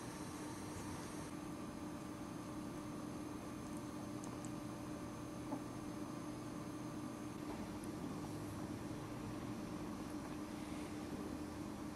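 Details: A steady mechanical hum, like a fan or air conditioner, fills the room with faint clicks and no animal sound.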